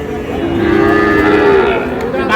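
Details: A single sustained, level moo from one of the small bull calves a Cumilla farmer bought on 14 May, lasting about a second and a half, with crowd murmur behind it.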